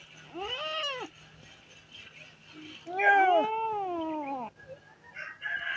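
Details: Abandoned street kittens crying for their dead mother. A short arched meow is followed by a long, drawn-out wavering cry with overlapping voices, then quieter scuffling sounds.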